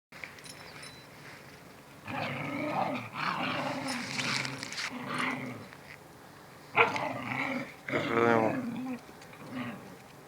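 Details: Domestic dog, a mother teaching her puppy to stand up for itself: rough, low-to-mid growling bursts from about two to six seconds, then a sharper yelp and a rasping, pulsing growl near eight seconds, with quieter gaps between.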